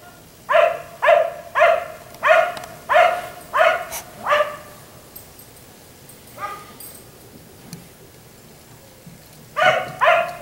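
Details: Barking of a black Labrador retriever left in the yard until 1am: six loud barks in quick succession, a long gap with a faint distant bark, then two more barks at the end.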